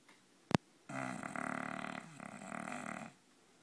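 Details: A male English bulldog snores loudly with a long, rattling, throaty breath.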